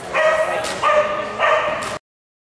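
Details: Cheetah, a dog, during agility teeter training trials: three loud, tonal, harmonic barks about half a second each, spaced roughly every 0.6 seconds, followed by abrupt silence.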